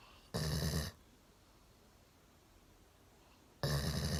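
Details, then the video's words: Deeply sleeping one-year-old Golden Retriever, chin propped on a table from the sofa, gives two rasping snores roughly three seconds apart with quiet breathing between. "ゴールデンレトリバー いびきをかいて大爆睡"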